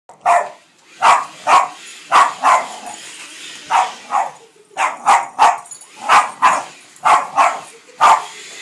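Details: Boston Terrier, a female pet dog, barking at a running vacuum cleaner indoors: short sharp barks in quick pairs and runs, about one per second, with steady vacuum hum beneath.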